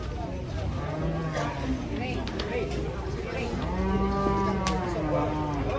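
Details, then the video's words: Giant cattle being loaded onto a truck, annoying their handler: a low, drawn-out moo with a brief earlier lowing, set against steady background noise and men talking in a local language. "PROSES MUAT SAPI RAKSASA BIKIN KESAL PAWANG"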